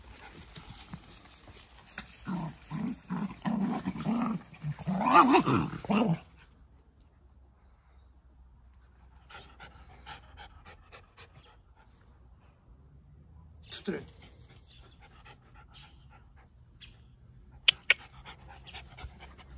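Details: Pair of Jack Russell Terriers in a friendly play fight, wrestling like brothers: a rapid run of throaty growling bursts builds for several seconds, then stops into near silence broken by a few faint scuffles and sharp clicks.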